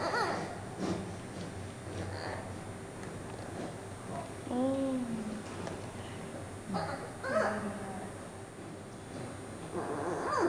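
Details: Giant panda cub Yuan Zai, a 39-day-old female over 1700 g, fussing and crying while reunited with her mother Yuan Yuan at a zoo; a few wavering, harmonic squealing cries rise and fall over narration and room noise.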